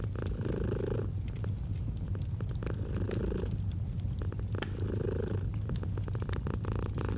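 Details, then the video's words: Purring domestic cat beside a crackling fireplace in autumn ambience: continuous deep vibrating rumble, rising and falling in brighter breathing phases roughly every two seconds, with frequent wood crackles and snaps. "Fall asleep to the Purring of a Cat & Fireplace"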